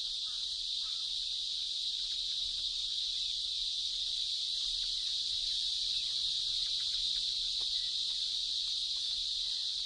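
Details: Many male cicadas sing together in India's wild, where tigers court, making a continuous, shrill buzzing wall of sound to attract females; the combined din is loud enough to keep predatory birds away.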